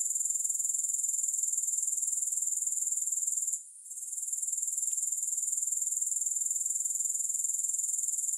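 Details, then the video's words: Shrill, unbroken chorus of grasshoppers, evenly pulsed at about four beats per second, with one short drop in loudness just before four seconds; a single faint click follows, no music. "Grass Hopper Sounds"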